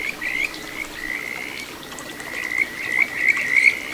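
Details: A Kajika frog sings clear, high whistled trills that rise in pitch from a small stream in the satoyama of Ichihara, Chiba, Japan, on 9 June 2022, over a soft murmur of stream water.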